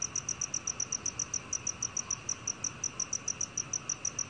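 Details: Black cricket calling: a steady train of short, high, clear chirping pulses, about five per second, evenly spaced, over a faint background hiss.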